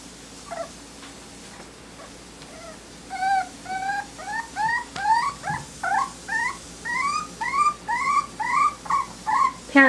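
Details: Smooth-coated Miniature Dachshund puppies in Colorado give thin, squeaky whimpers, rising-then-falling whines repeated about twice a second, growing louder toward the end over a steady low hum.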